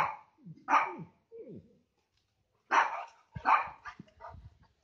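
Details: A Labrador and Rottweiler meet the neighbours' Beagle and Lhasa Apso across a fence. Irregular barking: one sharp bark, low grumbling sounds, a pause, then two more loud barks followed by quieter yips and huffs.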